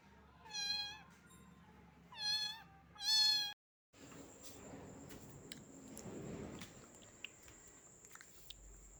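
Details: A little cat, rain-soaked and shivering from the cold, lets out three quick meows in a row, the last loudest, followed by a break and then scattered clicks and a faint steady whine.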